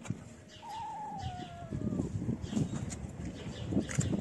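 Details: Homeless street kittens, having left their black-nosed mother to crowd around a person feeding them, give one long, drawn-out meow that slides slowly downward, followed by rustling, scuffling and footsteps close by.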